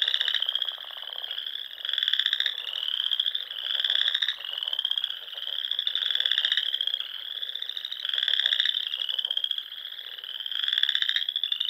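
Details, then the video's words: Chorus of frogs at a Nebraska Sandhills pond on a spring evening, overlapping ringing pulsed trills that rise gently in pitch, louder bouts arriving every one to two seconds without a break. "RELAXING SOUNDS OF FROGS"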